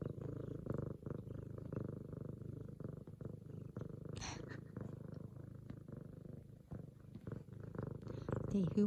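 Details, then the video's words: Excited female F2 Savannah cat kneading a leopard-patterned pillow, purring loud as her owner returns from work; fast steady low purr around 220 pulses a minute, with a quick spoken word midway and faint talking at the end. "F2 Savannah Cat Zara Making Some Serious Biscuits And Purring!"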